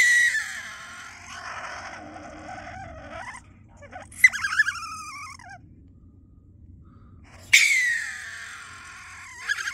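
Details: Close-range stone marten screaming: a harsh, drawn-out cry, then a pause, a cluster of sharp, descending, whining squeals, silence, and another loud raspy scream that tails off.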